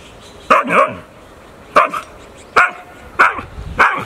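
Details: Sulking dog talking back with short grumbling barks, five separate voiced bursts about every 0.7 to 1.3 seconds, each with a brief pitch bend, over a quiet indoor background.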